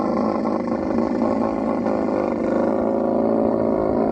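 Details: Camel in mating season in the Thar Desert, Tharparkar, Sindh, Pakistan: a loud, steady, rough rumbling roar with a fast pulsing texture that holds without a break for about four seconds.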